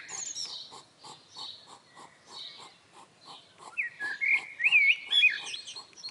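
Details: Two European hedgehogs appear in a garden for the first time, snuffling in quick, pig-like puffs about twice a second and rustling loudly near a hedge, while a bird's bright, twisting whistles break in over the second half.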